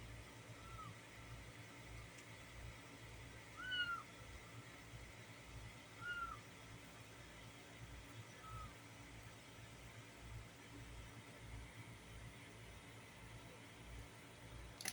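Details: Six kittens together on a box give thin, high mews a few seconds apart over a steady low hum.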